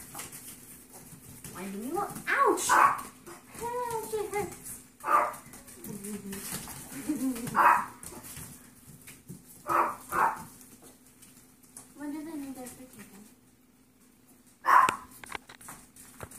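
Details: Yorkie foster puppies romping during a last play session before their new homes, giving irregular high yips mixed with wavering whines and squeaky grumbles, ending in one sharp yelp.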